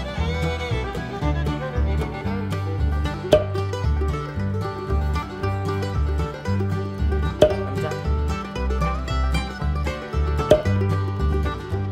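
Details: Bright bluegrass music with plucked banjo and strings over a bouncing bass line, and no animal sound.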